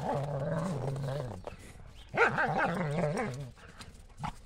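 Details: German Shepherds Buffy and Willow playing ball chase in the snow on a cold January day; a steady low growl, then a wavering, rising-and-falling growly vocal run, fairly quiet.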